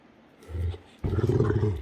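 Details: Great Dane growling during Sunday morning play between Heartbreaker and Rhapsody: a short, deep rumbling growl, then after a brief pause a longer, rougher, louder growl lasting almost a second.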